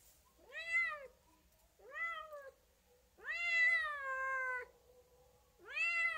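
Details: Domestic cat meowing indoors: four harmonic-rich meows, the third long and drawn out with a falling tail, the others short and arched, rising then dropping, with quiet gaps between.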